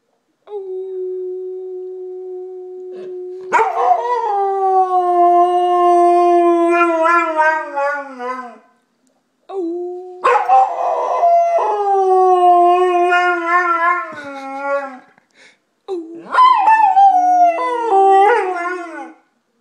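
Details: Jimmy, a golden retriever, gives three sustained howls, each opening on a steady low tone before jumping higher and wavering downward, with brief quiet gaps between them.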